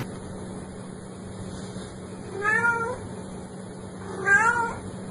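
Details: Domestic cat meowing twice, short rising-then-falling nasal meows about two seconds apart over a quiet steady background hum.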